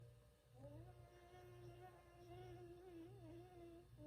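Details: Sleeping Bichon Frisé named Ttangkong-i (Peanut) snoring indoors, a faint, long, wavering whistled tone that holds steady, then dips and rises slightly, over a low hum in a quiet room.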